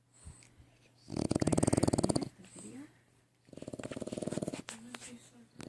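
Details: A sleeping French bulldog puppy snores in long, rattling, fluttering breaths, each lasting about a second.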